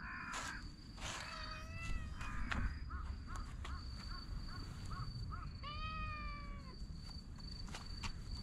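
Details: Stray cat being patted on the lower back outdoors, with two harmonic meows and a run of short soft chirps between them; low background rumble, scattered taps and a steady high electrical whine.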